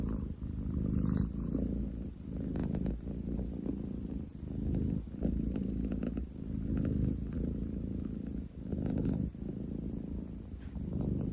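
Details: Ten chan, a long-legged male munchkin cat, purring very loudly on 30/07/2023; a deep, continuous rumbling purr that swells and dips with each breath, about every two seconds, with faint rustling.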